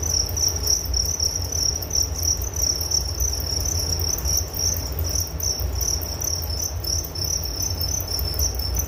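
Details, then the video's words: Crickets trilling nonstop in a bright, rapidly throbbing high note, pulses slightly uneven in strength, backed by a faint upper shimmer and low background hum. "Relaksasi Suara Jangkrik Penghantar tidur || Nature Sound of Crickets"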